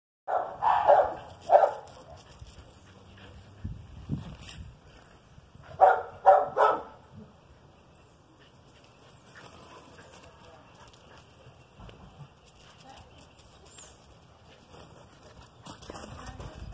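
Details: Whippet and Basset Hound playing together: two bursts of loud, harmonic barking and baying, the first early and the second a few seconds later, separated by quieter stretches of low rustling and scuffling.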